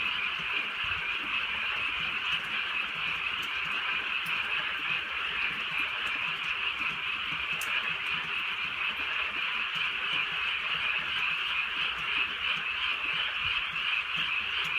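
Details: Drizzly rural night with a frog chorus droning on without pause, made of countless rapid croaks that blur into one even, shimmering buzz, with a few sharp ticks over soft rain.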